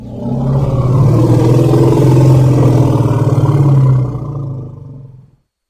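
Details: Baby elephant producing one long, deep, throaty rumble lasting about four seconds, steady in pitch and rich in low tones, then fading away.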